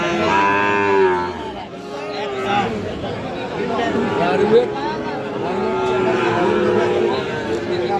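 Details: Cattle market at Aftabganj, Bangladesh, 6 August 2025, with Sahiwal bull calves being bought: a strong moo at the start, followed by fainter bovine lowing under constant bargaining voices and crowd noise.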